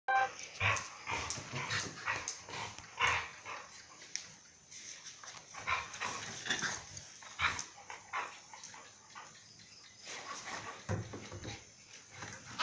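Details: Two dogs, Mai and Mocca, playing together at Phuket Dog Resort; a busy run of short, rough growls and yaps bursts out in quick irregular clusters, with brief quieter gaps between flurries.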